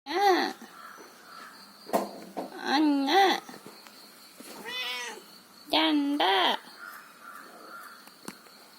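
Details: A domestic cat, called a talking cat, gives a series of drawn-out, wavering meows that rise and fall in pitch, spaced a second or two apart, with quieter murmuring between calls and soft human voices in the background.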